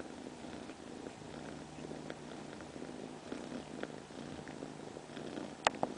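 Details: Pet cat purring in a low, even rumble with slight rhythmic swells, broken near the end by a brief sharp click.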